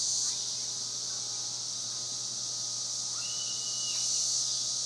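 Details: Massed cicadas in Spring Hill, Tennessee, make a continuous shrill, buzzing wash that swells slightly toward the end; a bird gives a brief rising whistle and a held note partway through, over a low hum.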